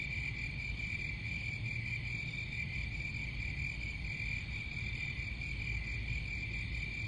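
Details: Crickets give a steady, unbroken high-pitched trill that rings on without pause, with fainter overtones above it and a constant low rumbling noise underneath.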